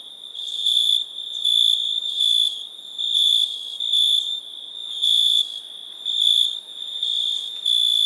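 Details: Cricket chirping in a sound-effects recording: a steady high trill with rhythmic pulses of louder chirps roughly every second, over a continuous background chorus of other crickets; no other sounds.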